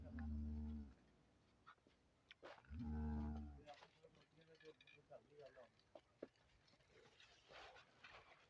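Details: Friesian cow offered for sale in Pakistan gives two deep, steady, drawn-out moos, each about a second long, one at the start and one near three seconds, followed by scattered voices and handling noise.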